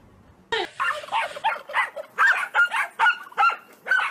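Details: Corgi giving a quick run of about ten short, sharp, mid-pitched barks after a brief quiet start, spaced unevenly at roughly two to three per second.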